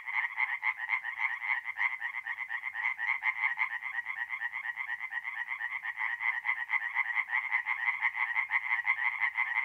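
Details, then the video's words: Tree frogs singing at night at a forest pond in mid-April, north-east Italy: a dense chorus of rapid, pulsed croaks, many calls per second overlapping in a steady, unbroken rattle with no other sounds. "relaxing forest pond by night with singing tree frogs"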